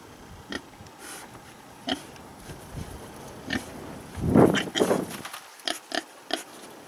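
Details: A friendly pig gives a few low, rough grunts around the middle, with a louder burst near four and a half seconds, among scattered sharp clicks and knocks.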